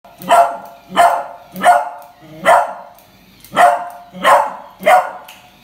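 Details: Pet beagle puppy barking in fright at a new puppy toy: seven sharp, loud barks in under six seconds, about one every 0.7 seconds, each a harsh burst with a brief tonal core.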